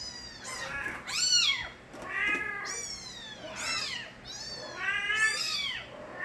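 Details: Young kittens of Nabi, a street cat, crying loudly: several kittens meowing over one another, long quavering high calls with strong harmonics, barely any pause between them.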